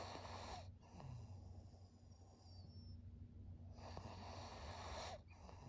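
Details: Maria, a thirteen-year-old senior fawn female pug in Japan, recorded 5 September 2023, making soft, noisy snorting breaths that swell in two rasping bursts over a steady low hum.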